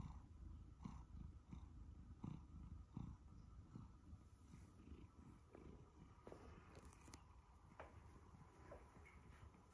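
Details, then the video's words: Purring from Sacha, a male Siberian Forest cat one year old, as he is fussed: continuous low rumble pulsing with each breath, roughly every 0.7 seconds, with faint rustling and a brief higher scrape. "Listen to my Siberian Forest cat purr as he is fussed"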